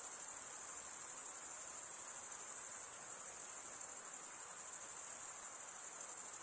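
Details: Steady high-pitched trilling of crickets in a summer forest at night, rapid fine pulses fused into a continuous ringing wall of sound, with no other voices.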